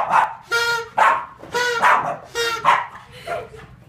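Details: Boston Terrier barking: six sharp, harmonic barks in under four seconds, each a short clipped yap repeated about every half second, loud and close, with faint room noise between.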